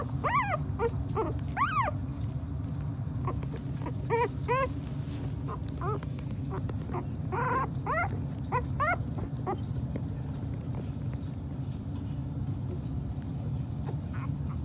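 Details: Two-week-old Miniature Pinscher puppies, chocolate and standard males with their mother, eyes newly open and growing active, giving high arched whimpers and yips in short bursts over a steady low hum, busiest in the first nine seconds.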